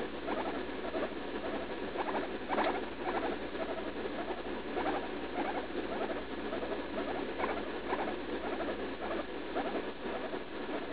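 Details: About three years old, the female guinea pig Leslie squeals in pain while going to the bathroom after eating lettuce, as happens daily; she has a suspected UTI. Chattering, pulsed squeaks keep coming in uneven runs against constant background noise.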